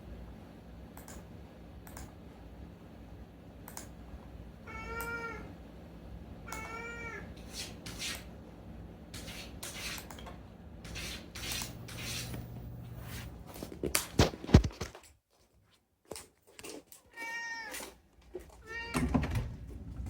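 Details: Unagi-kun, a talkative rescued cat, meowing at night during summer holidays: three clear, drawn-out, slightly rising meows spaced a second or more apart, among indoor clicks, knocks and a low room hum.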